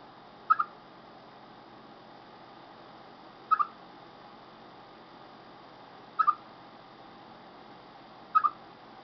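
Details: Chipmunk sounding before rain: four short double chirps spaced about two to three seconds apart, quieter, over a soft continuous hiss.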